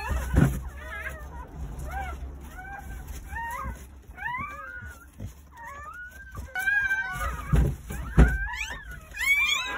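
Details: Thin, chirping whimpers from newborn Jindo dog puppies, born nine in a litter on New Year's Day in a countryside house, starting soft and scattered and growing into louder overlapping squeals, with low room rumble and knocks.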